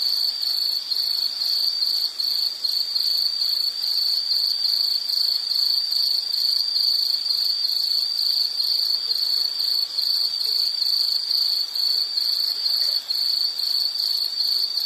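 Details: Insects singing a continuous shrill trill made of fast regular pulses, about two bursts per second, steady and unchanging in pitch, over a low hiss with no other animals heard.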